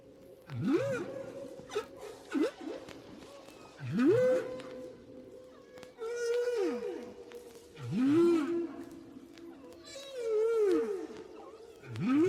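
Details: Humpback whale song recorded five years after an earlier one, as whales in an area keep changing their shared song until it is replaced. Low moaning upsweeps and downswept swoops, each with bright harmonics, recur about every two seconds.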